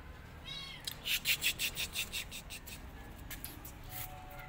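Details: Rescued kitten, one of several afraid of a giant rabbit and running from him, gives a thin, high, slightly falling mew near the start, followed by a quick run of rustling or scratching bursts and then quieter shuffling.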